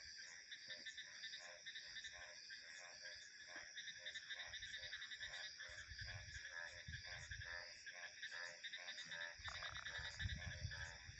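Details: Frogs call in a steady chorus of pulsed croaks over a constant high drone of insects and crickets, with wind ambience.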